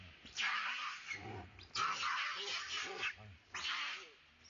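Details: Loud, raspy screams from a monkey calling for help while another monkey chases it. Three strong bursts, each under a second long, with softer low grunting sounds between them.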